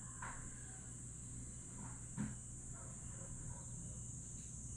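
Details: Grass insects on a summer night at Aewol, Jeju, on 22 July 2022, keep up a steady high, continuous shimmering drone beneath a low constant hum, with a few faint soft chirps and a brief knock near the middle.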